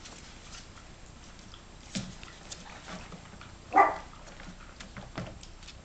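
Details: Yorkshire Terrier puppies aged 32 days: a single short, sharp yip-like bark midway, with faint shuffling and clicking noises around it.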